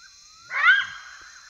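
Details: Wild side-striped jackal calling at night in Kafue National Park, Zambia, African bush; one short rough, gruff rising call lasting under half a second, with a constant high-pitched insect drone behind it.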